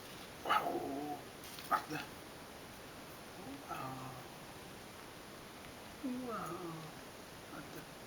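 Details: Piccolina, a female tuxedo cat and former stray, enjoys being brushed with a hard-bristled brush on Valentine's Day. She gives three or four short, soft, wavering meows spaced a few seconds apart, with brief scratchy brushing noises between them in a quiet room.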